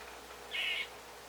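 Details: A squirrel gives one short, high, whistled squeak lasting about a third of a second, then looks around; otherwise only a quiet background hiss.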